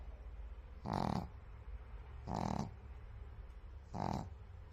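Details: A sleeping white pug snores in three even, hoarse, breathy pulls, each about a third of a second long and roughly one and a half seconds apart, over a quiet low background hum.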